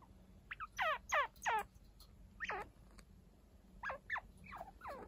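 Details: Week-old pet chinchilla babies Hinata and Ryo, cared for by the unrelated adult Kaito. Clear bursts of wavy, slightly buzzy squeaks, two or three in quick succession, then pauses before another cluster; quiet room background.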